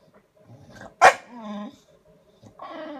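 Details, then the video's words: A sulking bulldog seeking attention early on a Saturday morning gives a sharp, short huff or bark, then a low, sliding moan, and begins another whining groan at the end. "Sulking Bulldog"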